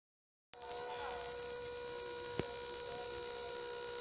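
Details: A male Indian cicada starts up abruptly and holds a loud, shrill, unbroken buzz.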